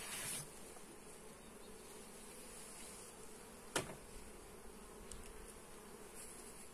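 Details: Honey bee hive during inspection, captured on a Xiaomi Redmi Note 8 phone: soft, even droning hum throughout, with one sharp click in the middle and a few faint taps.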